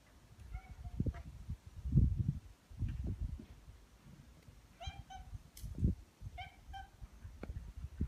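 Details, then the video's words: Stray orange tabby cats in a residential neighbourhood, greeting and welcoming a familiar person. Three short, tonal meows come at about half a second, five seconds and six and a half seconds, over steady low rumbling and scuffing noise from outdoors. "2匹の野良茶トラ、人間に歓迎の出待ちをする Two tabby cats welcomed me"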